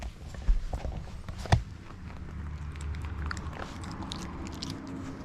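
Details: Mameshiba dog Kon eats treats while training with a puzzle toy indoors: low, dull crunching and biting, with two sharp knocks early on, then steady soft chewing and faint clicks.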